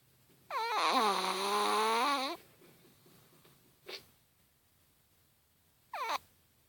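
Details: Chihuahua asleep and snoring: one long whistling snore of nearly two seconds that drops quickly in pitch and holds a steady, reedy drone, then a brief click and a short falling wheeze a few seconds later.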